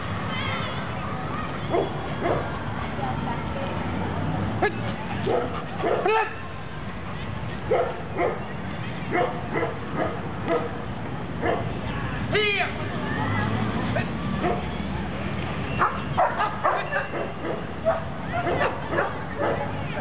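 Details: Sable male German Shepherd, three years old, trained in obedience, tracking and advanced protection, giving short barks in irregular bursts, some with a rising strained tone, mixed with men's talking and steady background noise.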